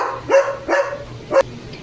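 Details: Three abrupt, loud barks from Leo, a pet German Shepherd, the last one clipped short, with quiet gaps in between.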